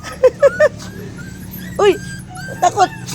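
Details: Frightened puppy, scared by another pet named Sugar, gives a run of short high whimpering yelps: three quick cries, a longer whine near the middle, then two more cries, with a faint steady hum and a woman's voice nearby.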